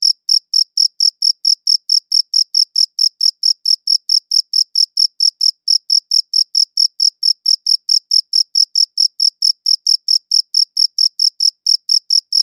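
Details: High-quality recording of crickets chirping: dense, regular high-pitched pulses repeating around four to five times per second for the whole stretch, background otherwise silent.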